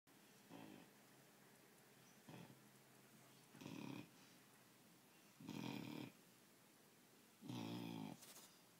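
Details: Four-month-old puppy sound asleep on a bed, snoring: rasping, buzzy snores roughly every two seconds, five in all, growing louder toward the end, with quiet breathing between them.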